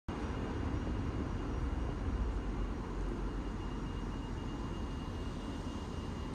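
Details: Constant low engine rumble of urban traffic fills the recording, and no animal is heard.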